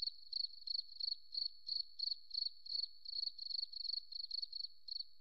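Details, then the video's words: Cricket chirping in a forest setting: a steady, high-pitched trill broken into short pulsed bursts about three times per second, over a faint continuous ringing tone and otherwise silent background. "Beautiful Cricket Sound, Forest Relaxing"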